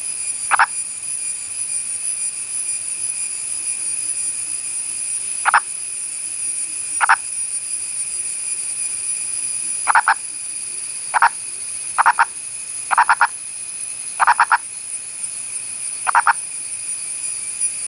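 An Indian purple frog gives short, knocking clucks at irregular intervals over a steady insect hum.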